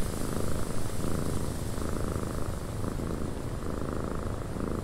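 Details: Domestic cat purring, a deep vibrating rumble pulsing in steady cycles of roughly one and a half seconds as the animal breathes in and out.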